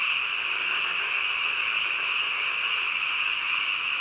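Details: Frogs croaking in the middle of the night, merging into a dense, unbroken chorus: a steady, high, shimmering wash with no single calls standing apart and no other sounds.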